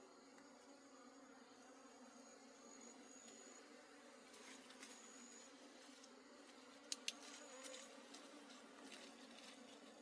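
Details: A wild honey bee colony being harvested in the forest gives a soft, unbroken low drone, layered with a high steady tone and scattered sharp clicks near the end.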